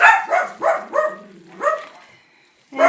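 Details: Three miniature dachshunds at home, barking at the wind, give a quick run of high, sharp barks, each dropping in pitch at the end.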